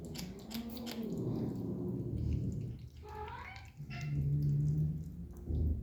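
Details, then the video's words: Kitten contentedly eating, giving low, rumbling hum-like murmurs throughout, with a brief higher rising meow-like sound mid-way and faint clicks of chewing in a small indoor room. "The kitten is enjoying eating and makes a pleasant sound."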